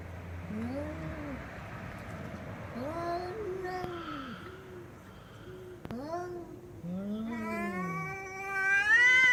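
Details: Domestic cat making a funny sound: a run of short arched meows, then a longer, higher, strained meow that climbs at the end, with quiet room noise and a few faint clicks.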